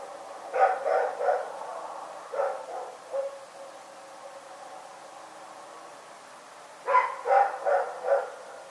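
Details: Rex, a dog, barking in the night at Pyrga: a quick burst of three sharp barks, two softer ones around two and a half seconds, then a pause and four more barks in fast succession near the end.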